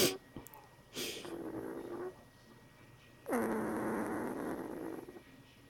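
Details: A one-week-old female Bernese Mountain Dog puppy growls in her sleep, giving two drawn-out, low, rough growls, the second longer and louder.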